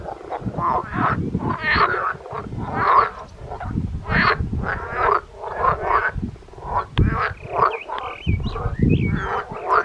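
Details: Close-up frog chorus recorded 13 June 2025 on Christianso, Denmark, vocal sacs inflating; continuous rough croaking bursts repeat several times per second, overlapping callers, with faint bird whistles near the end.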